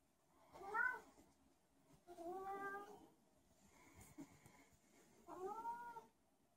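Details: Zebedee, a special needs pet cat, roams a small room meowing for no apparent reason; four long wailing meows about every one and a half seconds, each bending up then down, the third softer, over quiet indoor background.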